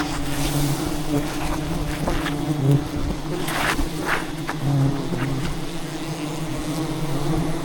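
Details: Angry wild bees swarm and attack, defending their colony as a giant hidden beehive is harvested deep in the rainforest. A steady low droning hum with layered overtones runs throughout, under crackling and rustling noises.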